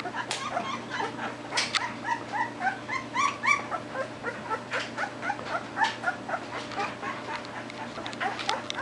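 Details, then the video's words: Chirping from 13-day-old Belgian Shepherd puppies, three pups with eyes just open: quick squeaky yips and whimpering chirps in a busy irregular stream, occasional sharp high squeals. "The Bomb Squad Chirping"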